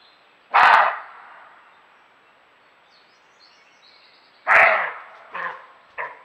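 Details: Roe deer recorded by camera trap, barking as it does when frightened or defending territory: hoarse, loud, dry barks, two strong ones four seconds apart, then two shorter, fainter barks in quick succession, each trailing off in echo.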